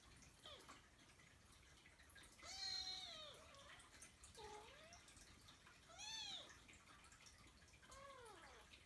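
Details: Kkung, a young Persian Chinchilla kitten kept as a pet, meows repeatedly indoors: about five arched, slightly wavering calls, some short and some drawn out, spaced irregularly, over quiet room noise.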